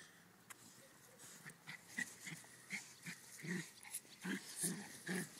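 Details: West Highland White Terrier and Ridgeback at play: quiet snuffling and clicks at first, then short gruff growls and huffs building every half second or so in the second half.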